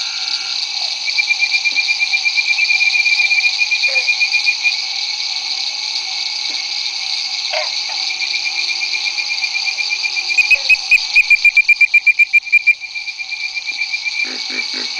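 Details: Bird-voiced treefrog at Barataria-Terrebonne Estuary, 9:00 pm, May 10, 2011, giving rapid, whistled notes over a dense, steady chorus including pig frogs and insects.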